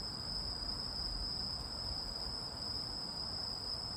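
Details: Continuous high, thin insect ringing, possibly a cricket, heard steadily over noticeable low rumbling background noise.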